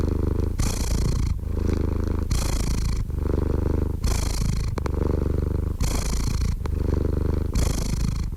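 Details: Loud, rumbling cat purr in a steady rhythm, each breath cycle lasting close to two seconds, low vibrating drone alternating with a lighter breathy rasp, plus a couple of faint clicks.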